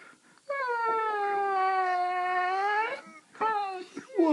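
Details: Indoors, female Saluki Tiggah voices her daily complaints: a sustained two-and-a-half-second moaning howl, slightly falling then lifting at the end, followed by a shorter whining call while a person asks what the matter is.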